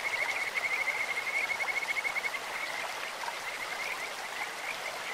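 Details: Kajika frog calling from a clear stream: a fast, bright, bead-like trill for the first two seconds, fading into scattered softer notes against the hiss of moving water.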